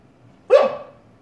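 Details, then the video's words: Female Siberian Husky barking at her own reflection in a fireplace indoors, unaware she is seeing herself: one sharp, loud bark, abrupt at onset and quickly fading, in an otherwise quiet room. "Husky barking at herself in the fireplace"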